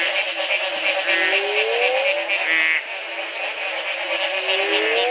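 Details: A dense frog chorus of buzzy, pulsing trills, with low rising upslurred notes every few seconds, in Belize in 2010, on the morning after the first night of rain following a three-month drought.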